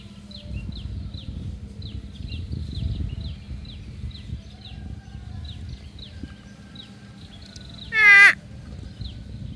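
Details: Grazing herd of water buffalo; one short nasal 'uwwek' call drops in pitch near the end, set against steady chirping birds and low rumbling background noise.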